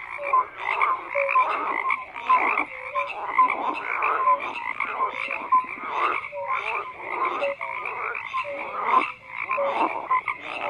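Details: Frogs croaking in chorus, bursts of harsh pulsed calls arriving roughly every half second, with short whistled notes threaded between the bursts.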